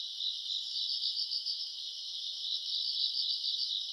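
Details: August summer-night grass insects trilling: a dense, high, rapidly pulsing chirr without pause, slightly softer and rougher, with faint low background noise beneath.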